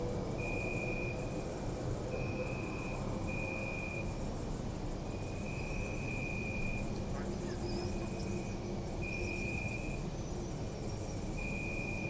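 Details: Night chorus of crickets in a city park, captured with a Zoom F3 recorder: shrill rapid pulses in long trains broken by short pauses, plus intermittent lower sustained trills, all over a continuous low city hum.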